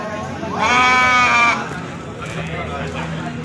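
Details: Goats at the Pahonjaran goat market in Majenang, where male goats are on sale: one loud, sustained, wavering bleat of about a second, rich in harmonics, with crowd chatter and market noise before and after.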